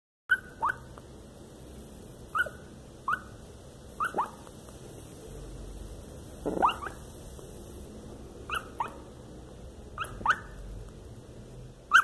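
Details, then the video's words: Lhasa Apso puppy having a nightmare gives short, high, muffled yelps and whimpers in scattered bursts every one to two seconds, with a brief rustle in the middle and quiet room hiss. "Bebe lhasa apso com pesadelo"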